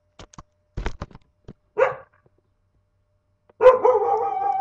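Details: A pet dog indoors gives a short bark after some tapping noises, then a longer, drawn-out whining bark.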